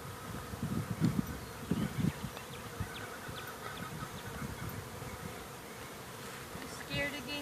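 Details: Many honey bees buzzing around a hive all at once, unusually active after rain; dense overlapping low drones with passing fly-by swells, stronger early on, plus faint higher tones near the end.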